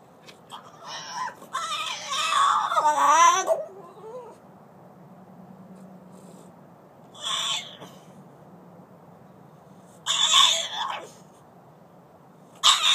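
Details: Collette, a French Bulldog that hates being outside alone, cries to be let in: a long wavering, sobbing whine, then shorter high whimpers spaced several seconds apart.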